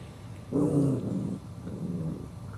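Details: Chihuahua puppy and adult dog disputing a bone. A short, soft, throaty growl is followed by a fainter rumbling second growl.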